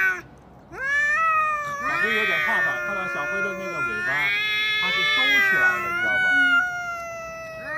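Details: Two cats in a standoff, one holding its ground while the other, tail tucked, seems a little afraid: overlapping warbling yowls that swell and dip in pitch, sustained for several seconds after a brief quiet start.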